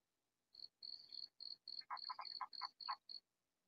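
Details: Katydid calling loudly in a vegetable garden, unseen: about ten high, dry rasping pulses at roughly three per second, with lower croaky notes mixed into the middle of the series.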